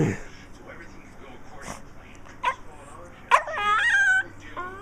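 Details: A pet dog indoors gives odd meow-like noises, which it makes after barking or when it wants attention: a couple of short yips, then a drawn-out, wavering, nasal whine, over quiet television speech in the room.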